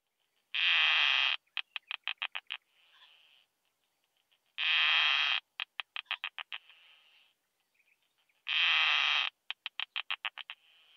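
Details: Isophya costata bush-cricket at Zitzmannsdorfer Wiesen, Austria, on 1 June 2020, picked up through a Pettersson D 100 ultrasound detector. Each phrase is a dense buzzy burst followed by about seven quick ticks and a faint soft trail. The phrase repeats roughly every four seconds, three times.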